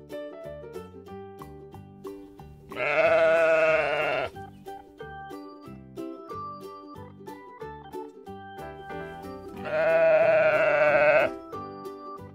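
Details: Sheep featured in a preschool farm animal names and sounds lesson: two long, tremulous bleats, each lasting over a second and spaced about seven seconds apart, over continuous light children's music.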